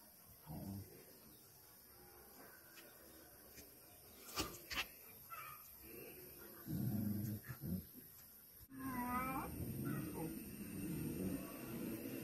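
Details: Dogs fighting on a farm: low rough growls and snarls with short high yelps and whimpers rising in bursts, a sharp clatter midway, noisy mixed background throughout.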